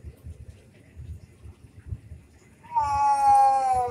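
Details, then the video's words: A domestic cat in a fight, likely orange, lets out a sudden loud wail after nearly three seconds of quiet low rumbling. The wail holds a steady, slightly falling pitch until the end. "kucing berantem"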